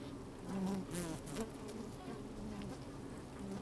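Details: Open hive of honey bees on a sunny day, microphone inside the hive: low buzzing hum with a few louder passing buzzes in the first second and light rustling as bees move about.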